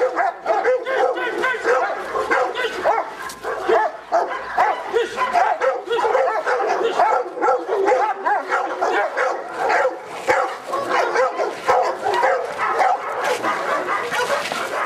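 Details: Protection work test of the Presa Canario Felipe de Ironbull, King Zulu kennel: a continuous run of fast, gruff barks with brief dips between bursts, and some whimpering notes threaded through the volley.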